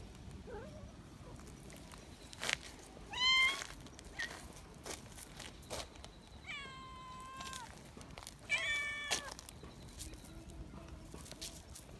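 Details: Young community cats in Japan, excited while being held, give shrill screeching meows: a short high cry near 3 seconds, a long falling-then-level wail around 6.5 seconds and another sharp cry near 8.5 seconds, with rustling and handling noises between.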